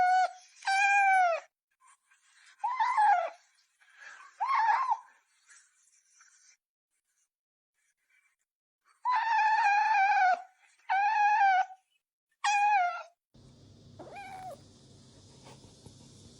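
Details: Kitten meowing in a series of clear, high, tonal meows, some short and some drawn out with a falling end, coming in bursts with pauses between them, followed by a low steady hum near the end.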